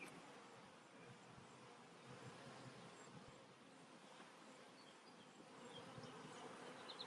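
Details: Honey bees at a hive being re-queened with a new caged queen after a hive split; a steady, dense droning buzz fills the whole stretch at low volume, with no other clear sounds.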